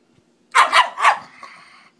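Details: Pekingese dog barking excitedly indoors: three quick, sharp, hoarse barks in under a second, followed by a fading whiny tail.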